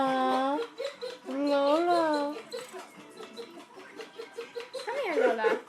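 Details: Pet dog whining indoors in a way that sounds like laughing: long wavering tonal whines, then a run of short, evenly spaced yelping pulses, with a person's voice nearby.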